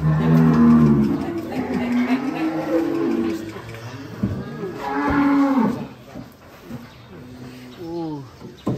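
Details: Cattle at an extreme-class Belgian Blue cattle contest during weighing: deep, drawn-out moos at the start and again around five seconds, then a shorter rising call near the end, with people talking and music in the background.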